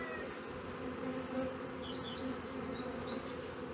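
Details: Honey bees droning at a Brno hive in 2022, where an inserted queen cell was found chewed open; steady low buzz, slightly swelling, with faint high bird chirps above.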